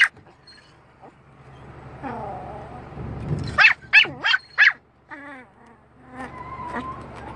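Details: Dog at a windscreen wiper giving a quick run of four sharp barks midway, surrounded by thin rising whines and soft tonal yelps, over a rumbling low background noise.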